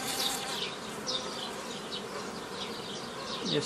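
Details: Continuous buzzing of many honey bees while a hobby beekeeper splits a forager swarm into nucleus colonies, mid-May 2018; the even hum carries short, high, sweeping notes over it and a faint thud near the end.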